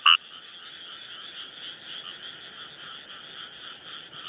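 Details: Wild Kawamura's rice frog calling: one short loud rasping croak at the start, then a steady buzzing chorus of other frogs underneath throughout.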